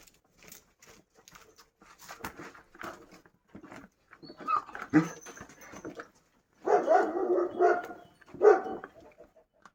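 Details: Kangal dogs on a family farm at feeding time, with scattered soft barks and noises early on, then a dense burst of excited, overlapping barking near the end, capped by one loud bark.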